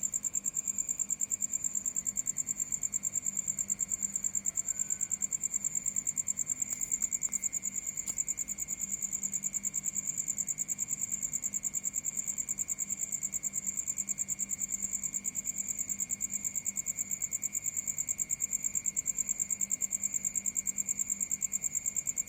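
A nighttime cricket chorus fills the air with a continuous, high-pitched trilling. The rapid pulses blend into a steady ringing tone with a second, lower note beneath it.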